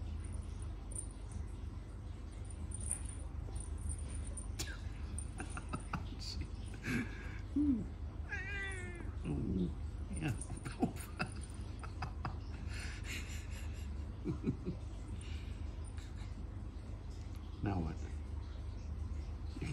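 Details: Siamese cat sparring playfully with its owner indoors: short scattered meows and a wavering yowl mid-sequence amid rustling and scuffling, after which the owner speaks softly about the cat getting tired.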